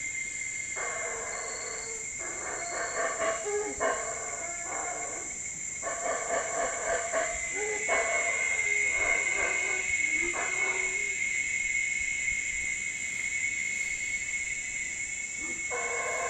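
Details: Howler monkeys near a jungle lodge give deep, rasping roars in rhythmic bursts over a steady high insect drone; howler monkey.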